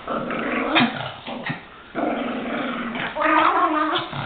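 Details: Pet Chihuahuas, one named Goofy, play-fighting and attacking each other; continuous rough gargling growls with snarling bursts, a brief pause near the middle, then a louder raspy growl.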